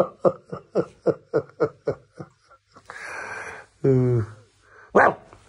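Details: Husky puppy indoors, pestering another dog and biting its owner when scolded: a quick run of nine short yapping barks about four per second, then a hissing rush, a brief growly whine, laughter and a final sharp bark.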